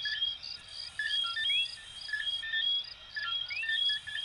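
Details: Small coquí frogs of Venezuela and Puerto Rico in full chorus. Several distinct upward-sliding whistles and clipped tonal notes rise over a rhythmic, cricket-like high pulsing.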